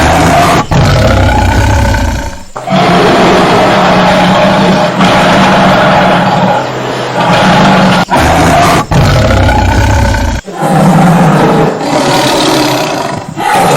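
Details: Heavy, grating tiger roars roll on in long sustained stretches, each separated by sharp momentary pauses, the voice low and rough throughout.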